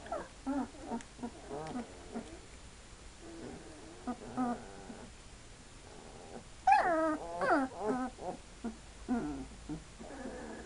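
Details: Hungarian Vizsla puppies, two weeks old, whimpering and yipping in quick irregular bursts of short wavering whines, some rising then falling, with a louder cluster of squeals late on.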